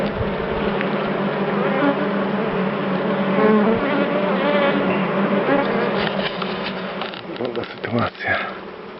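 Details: Wild but calm dark bees in a top-bar hive during inspection, a full, steady low hum through most of the stretch, giving way to rattling handling clatter toward the end.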